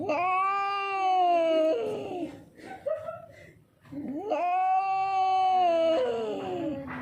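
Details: Hungry, thirsty street cat that came from somewhere else, frightened, giving two long drawn-out wails that rise quickly then sag gradually, separated by a pause with scattered small sounds.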